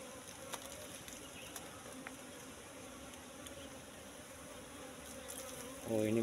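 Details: ['Wild Asian honey bee colony (Apis cerana) nesting in shrubs, a continuous even drone of many bees, soft clicks scattered through, then a louder handling noise at the very end.']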